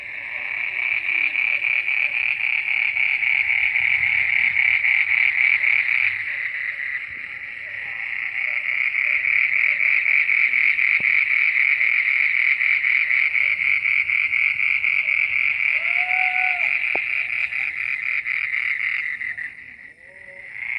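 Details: Midnight frog chorus, a continuous high buzzing trill pulsing roughly four times a second. It dips briefly around seven seconds, swells again, then fades near the end, with a faint short whistle-like sweep partway through.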